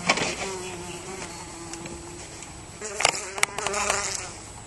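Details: Teddy bear bee indoors after getting lost in a house, giving a steady low hum with harmonics that wavers in pitch, broken by a few sharp knocks.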